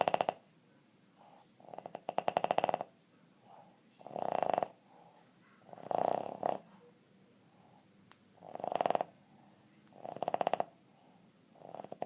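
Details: Dudley, a 2 1/2-year-old Boston Terrier from West Chicago, Illinois, snoring while asleep with an unusual woodpecker-like sound: bursts of rapid rattling pulses around a second long, repeating every two seconds or so, with quieter breaths between.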